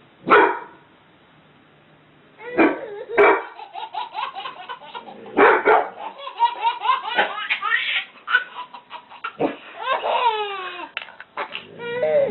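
A dog gives sharp, separate barks while a baby laughs in between.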